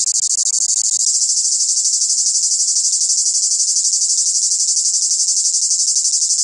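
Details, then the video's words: Southern cicada chorus: a high, rasping drone throbbing with rapid, even pulses, several per second, steady throughout with no pauses. A faint low tone sounds underneath. "Le chant des cigales c est ca le sud"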